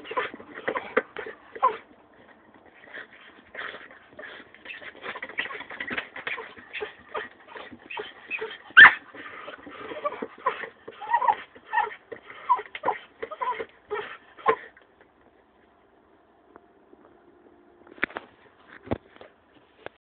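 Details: Jagdterrier whimpering in quick, thin, uneven bursts for about fifteen seconds, with one louder yelp midway, then near silence broken by a few faint sounds.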